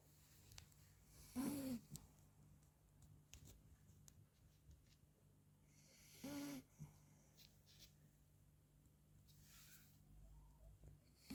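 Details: A 40-day-old Labrador puppy named Frankie snores through a nap, giving short, low, breathy snores about every five seconds, with faint breathing and small rustles between them in a quiet room.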